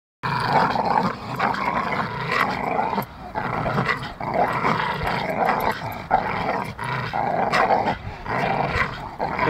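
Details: Two Staffordshire Bull Terriers playing together, giving continuous rough, throaty growls in overlapping bursts with brief pauses near three and six seconds.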